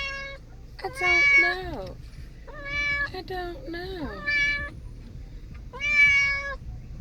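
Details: Domestic cat making funny noises like a baby: four drawn-out wailing meows, several sliding downward at the end, spaced roughly a second apart, over a faint low background hum.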